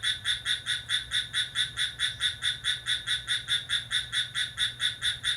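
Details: ['Midnight cricket on July 6, calling energetically: an unbroken run of bright, high-pitched chirps at an even beat of roughly two to three per second, nothing else clearly audible.']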